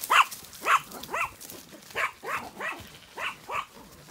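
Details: Farm sheepdog Inca in County Kilkenny, Ireland, barking while ewes are moved to the long acre, then told to leave it; eight sharp, rising yelping barks about two per second, fairly evenly spaced.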